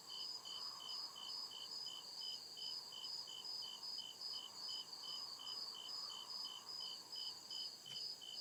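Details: Crickets calling at night in deep forest, regular high chirps spaced under half a second apart, backed by a continuous buzzing layer and a soft lower hum; a brief faint tick near the end.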